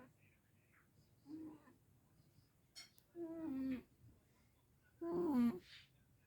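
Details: Sleeping Sphynx cat that got warm and dozed off, snoring through the house: three nasal, droning snores, each louder than the last, roughly two seconds apart, with a faint click between them.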